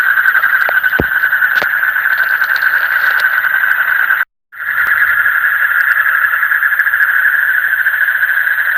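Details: Frogs call through the deep night in a thick buzzing chorus of rapid pulsed trills, broken by scattered clicks and a brief moment of total silence before the chorus returns unchanged.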